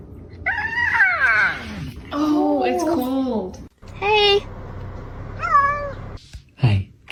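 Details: Kitten meowing and crying, a run of four or five plaintive meows that bend and fall in pitch, some short and some stretched, with room noise and brief human sounds between them.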